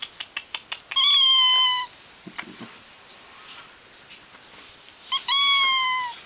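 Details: Four-month-old cat meowing for no real reason indoors: a few soft clicks or taps, then two drawn-out, level, harmonic meows about four seconds apart, with faint rustling between.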